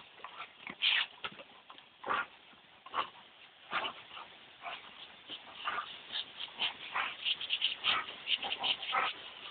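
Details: Two Dobermanns, Tyra aged two and her granddad Thunder aged seven, play with a garden hose on a very hot day; high, thin whines and yips sit over repeated broadband splashes and spray bursts.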